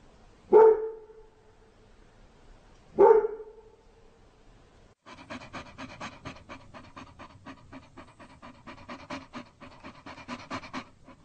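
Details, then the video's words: Dog lets out two sharp, lower barks a few seconds apart, then switches to steady, rapid panting that continues to the end. "GERÇEK KÖPEK HAVLAMASI"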